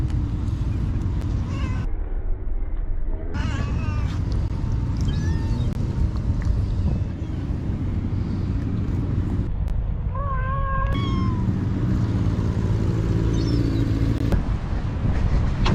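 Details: Cats being fed by a kind person; a few short meows with bending pitch, the clearest a rising-then-falling cry near the middle, set over a constant low rumble of background noise.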